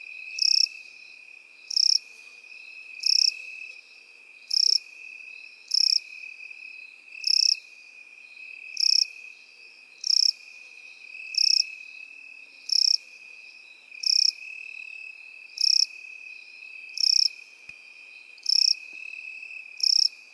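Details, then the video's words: Field crickets among grasshoppers in meadow grass produce about fifteen evenly spaced, high, shrill chirps, roughly one every 1.3 seconds, with a steady high-pitched insect drone running underneath throughout. "Сверчки и кузнечики в полевой траве"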